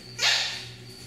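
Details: Female miniature schnauzer kept indoors on a rainy day; a single sharp, high yip-like bark lasting a fraction of a second, over a low steady hum.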